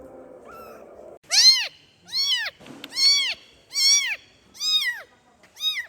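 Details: Kitten meowing as it calls for its mother: high, arched mews with rich harmonics, each rising then falling, about six in quick succession after a brief low rustle at the start.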